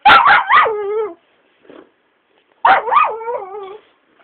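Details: Pet Shiba dog being pestered by its owner gives two drawn-out, wavering yowls about two seconds apart. Each starts as a sharp yip, then bends up and down before sliding lower into a whining tail, with a soft grunt between them.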